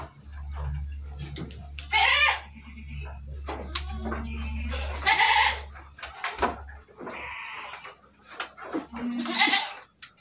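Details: Bleating dairy goats on a Bogor livestock farm: three strained, quavering bleats spaced roughly three to four seconds apart, mixed with clicks, shuffling, people talking and a constant low musical drone.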